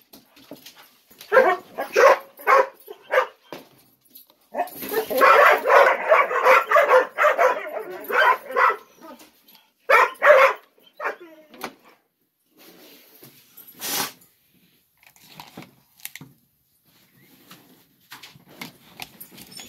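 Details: Ten-month-old Gollie puppies anticipating breakfast during a morning routine with adult dogs nearby; scattered sharp yips build into a sustained, clamorous burst of barking, then thin out to sparse yelps and small clatters.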